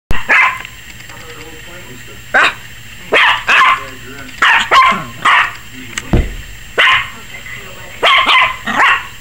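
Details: Yorkshire Terrier puppy, 21 weeks old, barking frantically, apparently scared of the camera: sharp, short barks in irregular bursts, roughly ten across nine seconds, some paired close together, over a steady low hum.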